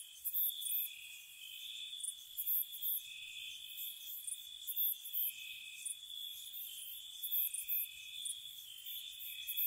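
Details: Gentle crickets on a spring night by a cottage: layered, sustained high trills, overlaid by bursts of piercing chirps that come in quick clusters. Nothing else is heard.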